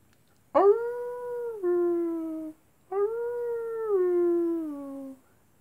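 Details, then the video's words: Wolves at night giving two long, smooth howls, each rising sharply then holding level before sliding down, with strong overtones and a short pause between them. "wolves at night time"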